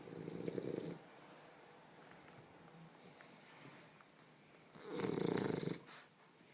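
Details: A sleeping French Bulldog wrapped in a blanket indoors gives softer, rasping snores: a short, rough snore at the start, a long quiet stretch of gentle breathing, then a brief, fuller rattling snore near the end.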